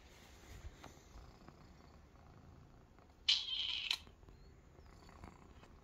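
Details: A young Maine Coon kitten, new to the house and relaxing in a basket with other kittens, gives one brief, high, thin mew against a quiet indoor background.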